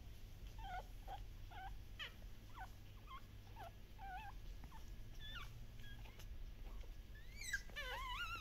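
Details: Active Shiba Inu puppies at a breeder in the Netherlands, giving short high whimpers and yips that bend up and down, scattered through the clip and bunching into a quick wavering run near the end, over a low steady hum.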